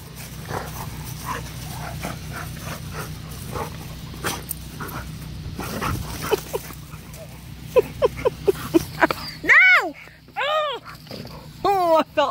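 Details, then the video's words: Two big, strong young dogs, a giant Malamute and a Pitbull, play fighting during a hurricane. Scattered rough grunts build into a run of arching, whiny howl-like cries near the end, over a steady low rumble. "Hurricane MMA K9 Match Giant Malamute VS Pitbull"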